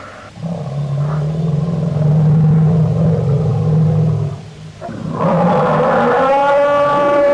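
An elephant gives a deep, steady rumble, then a louder, rising, brassy call.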